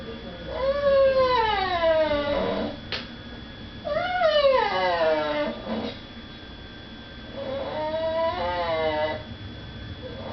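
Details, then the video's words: Pet dog, female, crying indoors because she is not allowed to beg at the dinner table while people eat nearby; three long, tonal whines that rise, then slide downward and waver, separated by short pauses. "My dog makes funny noises."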